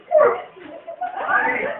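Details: A German Shorthaired Pointer, angry at a helicopter, gives rough, harmonic barks and grumbling yelps in quick bursts.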